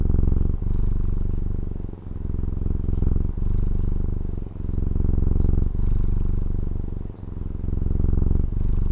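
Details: Steady rumbling purr of a pet cat from Taiwan, recorded at close range, with alternating inhale and exhale surges of deep pulsed sound and small pauses every second or so, otherwise quiet.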